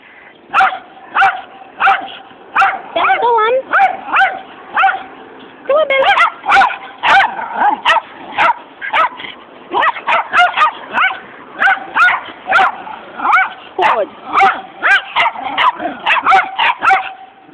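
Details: Several Jack Russell Terriers barking together as a group, sharp yapping barks and yips tumbling over one another in rapid, nearly continuous bursts, with a steady whining tone running underneath.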